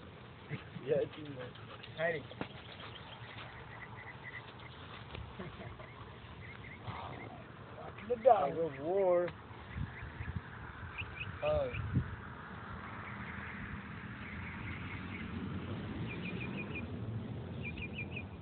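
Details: NKC American Bulldog puppies giving wavering, tonal whines with stacked harmonics, the loudest a drawn-out quavering cry near the middle and another shorter one soon after, over background voices and faint high chirps.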